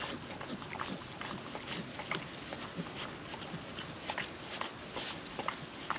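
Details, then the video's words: Female puppy lapping wet food from a food trapper mat outdoors on a windy day, giving quick, irregular wet licks and chomps, roughly two per second, against constant wind rush. "Wet food ASMR dog eating sounds"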